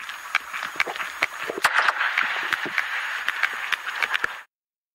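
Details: Sperm whale (Physeter macrocephalus), gunshot click: stunning and disorienting prey.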